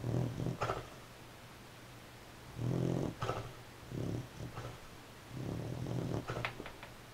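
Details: A beagle snores while asleep, giving a run of rough, low-pitched, rattling snores. Each breath comes as a short rasping burst, repeated at uneven intervals of one to three seconds, with no other clear sounds.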